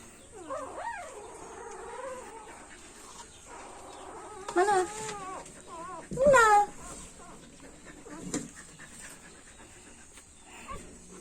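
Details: A three-day-old Siberian Husky puppy gives thin, wavering little howls and squeals that rise and fall.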